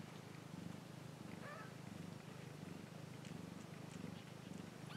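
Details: A cat purrs with a steady, pulsing low rumble in regular breath cycles, with a few faint high chirps and ticks behind it.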